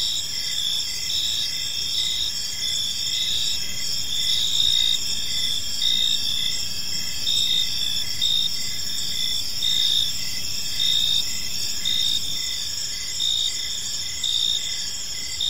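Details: Evening park chorus of crickets, shrill high-pitched chirps stacked in bands, pulsing about once a second without a strict beat, over a low, constant rumble of background noise.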